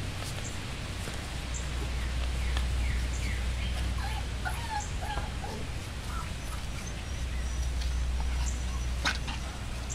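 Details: Seven-week-old Chihuahua-Beagle mix rescue puppies from one litter give short, high squeaky whimpers and yelps, clustered between two and five seconds, over a steady low hum and faint background noise.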